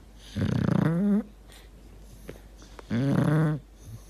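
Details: Dog in deep sleep, snoring and gurgling: two drawn-out, low, rasping tonal breaths, each about a second long and bending upward at the end, separated by quiet breathing in a small indoor room.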